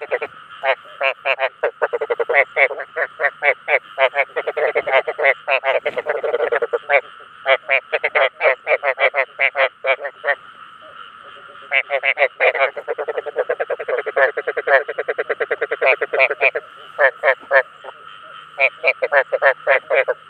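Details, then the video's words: Croaking of rice field frogs used to attract their own kind: long stretches of rapid, grating pulsed notes in bursts of varying length, separated by short gaps, with a low steady hum beneath. "Tiếng Ếch Đồng Chuẩn 2024 ( Tiếng Kêu Thu Hút Đồng Loại )"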